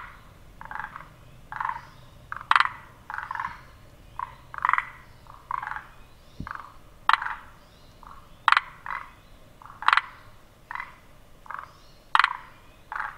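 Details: Repeated rasping croaks of a forest green tree frog, the throat pulsing three times per call, bursts roughly every second or so, accompanied by sharp clicking notes and a faint low rumble.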